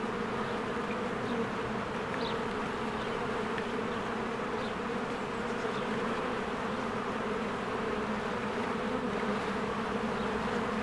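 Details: Honeybees working diligently at their hive in spring, a constant buzzy drone of many wings with steady low humming bands, occasional faint short bird chirps in the background.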